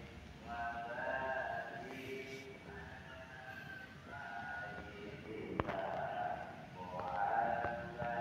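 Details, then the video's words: Cute kitten filmed on 16 August 2024, sounding spoiled: a string of soft, tonal mewing cries, some rising at the end, over a steady hum and a single sharp tap midway. "Such a cute kitten, his voice is so spoiled"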